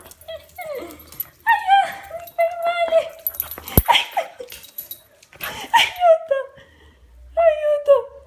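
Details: American Cocker Spaniel playing with a ball, giving high, whining whimpers and short yips in several bursts over eight seconds, with brief quiet gaps, a sharp click near the middle, and occasional Italian speech in the background.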